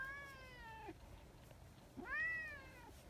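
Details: A male tabby community cat, an affectionate street cat, meows at full volume: two loud, drawn-out meows about a second apart, the first sliding down, the second rising then falling, over faint hiss; other cats quickly gathered.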